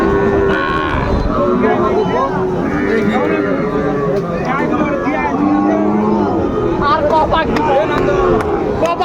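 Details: Young Sahiwal bulls calling at a busy cattle market in Bangladesh, 2 August 2024, during sales of quality calves; repeated lowing moos, some short and some drawn out, sound amid men bargaining and crowd noise.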